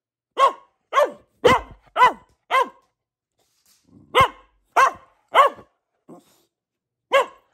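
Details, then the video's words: Female Boxer dog barking indoors: five rapid harsh barks, a pause with a faint low grumble, then three more sharp barks, a tiny yip and one final bark. "Relaxing Barking from our Dog - Luna the Boxer"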